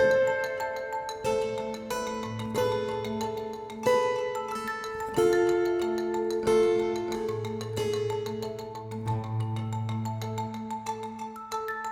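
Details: Mallet-percussion music with bright, ringing tones and sustained bass notes; no animal sound is heard. The notes ring out in clusters every few seconds over a steady low drone.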